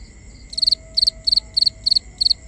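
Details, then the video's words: Cricket calling at night, recorded binaurally: six high, bright chirps in quick succession, each a tight burst of three or four pulses, spaced roughly every third of a second over a quiet background. "Cricket Conversations"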